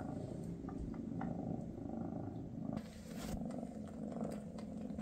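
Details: {'caption': "Maine Coon purring during Mama Freya's final day with her kittens before they depart. Steady low vibrating purr throughout, a brief dip near the third second, and soft rustling clicks."}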